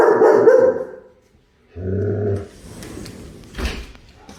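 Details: German Shepherd chasing a squirrel gives a short burst of rapid barks for about a second, then falls quiet before low rumbling and scuffing noises.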